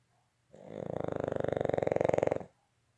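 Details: Boston Terrier. A Boston Terrier gives one drawn-out snore lasting about two seconds. The breath has a coarse, fluttering rattle that grows steadily louder before stopping abruptly.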